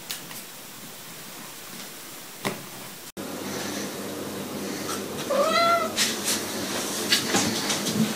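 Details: A domestic cat lets out a single short meow, bending up and then down in pitch, after several seconds of quiet indoor rustling and knocks; sharp clicks and thumps follow.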